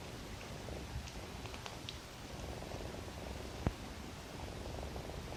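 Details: Sleeping cat snoring, perhaps dreaming of its mother's milk; a soft, low, steady rumble of breathing under faint hiss, with a single sharp click near the middle.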